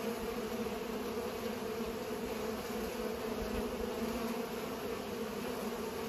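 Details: Several bees at work pollinating, their wings producing a constant mid-pitched drone with a fainter overtone above, steady in loudness throughout.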